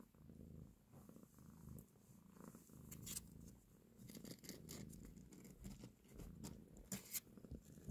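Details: A cat purrs while breastfeeding and caressing her kittens: low pulsing purr throughout, mixed with frequent bursts of rustling and licking-like crackles.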